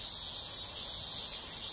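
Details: Outdoor cicada chorus heard live in the background and likened to singing 'amen': a continuous, shrill, even hiss-like drone holding without pause, faint low rumble beneath.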